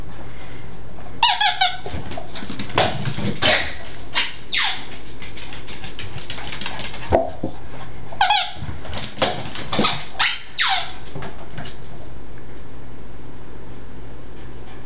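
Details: Yorkie/Chihuahua mix dog named Chalupa, indoors in a small room, going mad for a squeak ball: short high whiny, squeaky bursts in clusters around two, four, eight and ten seconds, amid scuffling thumps and toy squeaks.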